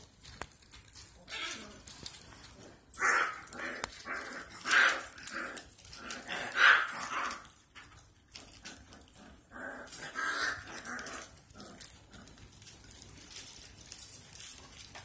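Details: Five-week-old Bullcorsodogo pups in a kennel: a few sharp, high barks stand out around the middle, among softer whines and yips and background rustling, with quieter stretches in between.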